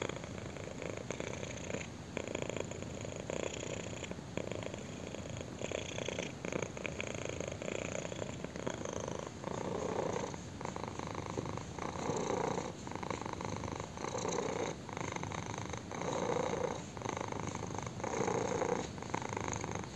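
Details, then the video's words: Kitten scratched on the chin, purring continuously; a deep vibrating rumble with regular breath cycles, the later half growing fuller and more rhythmic, heard close up indoors. "KITTEN PURRS AND ENJOYS BEING SCRATCHED ON A CHIN"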